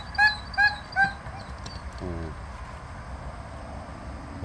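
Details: Jindo dogs outdoors on a Thursday morning, the day after rain: three short, high whining yelps in quick succession within the first second, then a brief low rasping pulse near two seconds, over a steady rumbling background.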